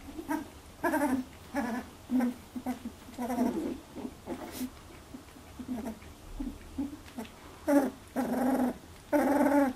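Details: In a first milk fight, Labradoodle puppies aged 18 days give a run of harmonic whimpers and squeals, each under a second, repeated roughly every half second to second, louder near the end.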